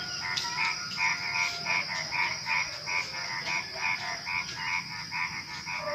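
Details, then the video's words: Frogs calling at night just before dawn, a fast run of short croaks, roughly two to three a second, unevenly spaced, over a steady high insect whine and a thin whistled tone. "Suara Kodok Menjelang Subuh"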